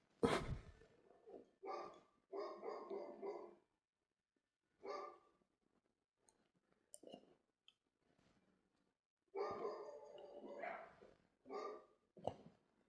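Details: Dog barking in short harsh bursts, single barks and quick runs of two or three, separated by silent gaps, with faint clicks between.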